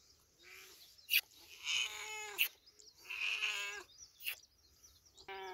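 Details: Village cat giving a run of four meows of varying length, some wavering, broken by sharp clicks and knocks, with high chirps around them.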